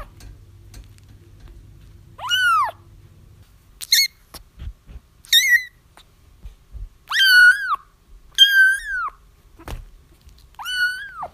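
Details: Crying kittens, meant to draw a feral mother cat to a trap, give a string of six bright mews that rise then fall, with soft thumps and clicks between them and a low hum early on.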